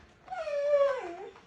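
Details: Husky named Mati indoors at home, called to come by a person: one drawn-out tonal howl of about one second, steady and mid-pitched with rich overtones, sliding downward at the end, over a quiet room.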